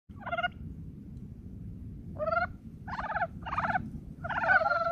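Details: Brown frogs calling in early spring; short, rough, rattling croaks, each a quick burst of throaty pulses, given singly or in pairs with pauses between, over a low steady background hum.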